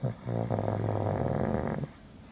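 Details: Sleeping pug, a little overweight at the time, snoring: one drawn-out rough, throaty rumble of nearly two seconds, low and steady.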